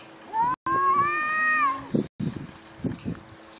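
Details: One long, drawn-out cat meow that rises and then holds level before breaking off, followed by soft bumps and handling noises.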